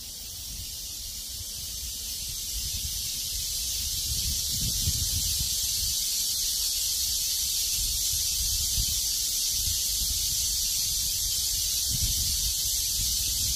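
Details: High, seamless cicada drone rises in volume early on and then stays level, accompanied by intermittent low gusts of a cool wind.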